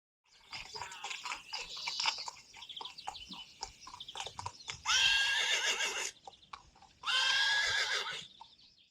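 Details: Friesian horse at a photo shoot with the mares Rising Star and Reintje: two loud, harmonic whinnies, each about a second long, near the end. Quieter rustling and brief tonal sounds come before them.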